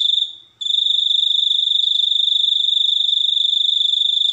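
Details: Cricket calling: a shrill, high-pitched, rapidly pulsed trill that runs continuously. One short break comes near the start before the buzzing trill resumes at full strength.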